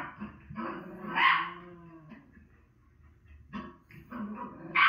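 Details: A female Miniature Schnauzer watching herself on TV gives a loud, rough bark, followed by quieter whining, grumbling barks, and another bark starting at the end.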